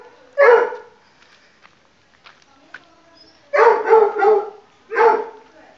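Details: Playful pug puppy during a hide-and-seek game: a single yappy bark, then quiet rustling and faint clicks, followed by a rapid double bark and one more yip near the end.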